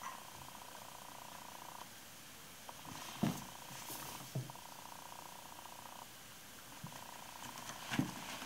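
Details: Babar, a 16-week-old male Bengal kitten, purrs on his first day in his new home while playing and exploring a climbing tree; a soft, steady low rumble runs through, broken by a few sharp knocks and light rustling indoors.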